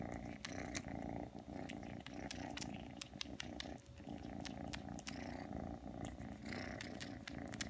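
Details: Three-month-old Ragdoll kitten Aki purrs loudly and continuously while kneading and suckling after coming when called, with rapid scattered clicking and smacking sounds over the low rumble.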